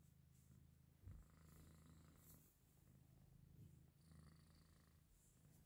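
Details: A Persian cat purrs steadily, a deep continuous rumble, with faint high mews from newborn kittens less than an hour old.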